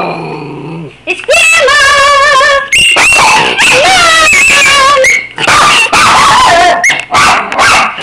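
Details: Two Miniature Schnauzers whine and yodel in high, wavering, overlapping howls, "talking" to their absent owner while a person's voice coaxes them to say hi.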